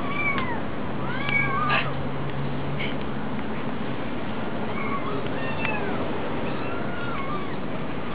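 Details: A hungry kitten at a cat cafe gives softer, scattered meows. Short sliding cries are spaced a second or two apart, with a few small clicks. A steady low hum dominates.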